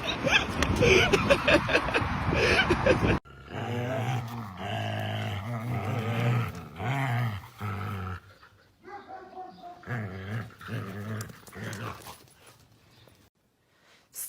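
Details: Chihuahua growling: low rumbling, grumbling growls in uneven bursts over about ten seconds, following a few seconds of loud music, with quiet gaps between.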